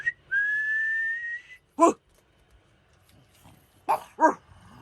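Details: Pug gives three short barks after a long, steady whistled tone. Two of the barks come close together near the end, and a person's voice is heard between the sounds.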